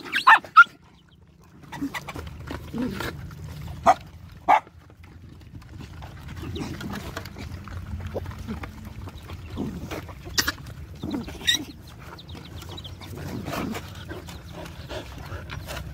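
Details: Puppies suckling at their mother let out brief sharp squeals, a few loud ones early and more spread through the middle, over a low steady rumble of background noise.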